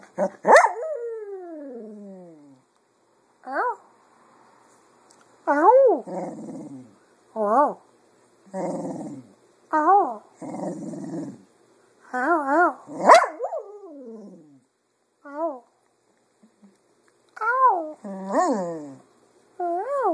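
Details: Pet Cocker Spaniel, a female, singing in the afternoon to copy her owners' voices; a long series of short wavering, yodeling yowls and moans, rising and falling in pitch, with brief gaps and a few sharper yelps.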